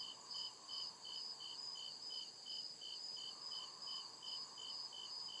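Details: Deep-woods crickets at night, producing rhythmic bright chirps about 146 times a minute atop a sustained high whine, while a dimmer broadband insect drone fills the lower range.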